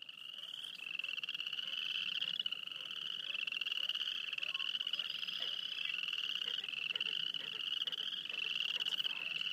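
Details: Frogs calling near Wayne, Alberta in a dense chorus: a continuous high pulsed trilling band, rising slightly in overlapping waves every couple of seconds, with fainter soft clicks beneath.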